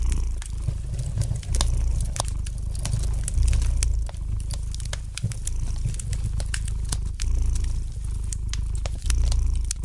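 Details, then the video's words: Low, rumbling purr of a domestic cat with regular breath-paced surges, accompanied by a dense scatter of crisp crackles from wood burning in a fireplace. "Relax to the gentle purring of the cat and the light crackling of the fire in the fireplace!"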